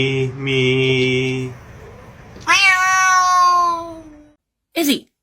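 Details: Cat letting out a loud, drawn-out meow that sinks slowly in pitch, followed by a brief sharp cry, after a steady droning tone at the start.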